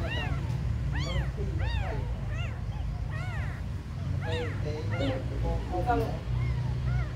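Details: Small abandoned kittens calling in a rapid series of clear, high, arching mews, one after another with brief gaps, a few softer cries between, above a persistent low background drone.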